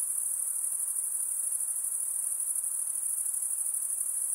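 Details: Night insects calling in a continuous high, shrill drone with a fine pulsing texture. It holds steady and unbroken throughout over a faint soft hiss, with no other animals or voices.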